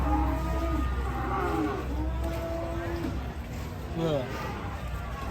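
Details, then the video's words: Angry cattle moo in long, level bellows, then a short rising call near the end, over a deep rumbling background. "SAPI NGAMUK"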